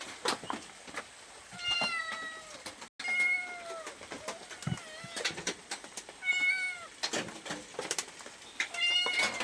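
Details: Domestic cat asking for food, giving several drawn-out harmonic meows that rise then fall, spaced a few seconds apart, with clicks and tapping noises around them.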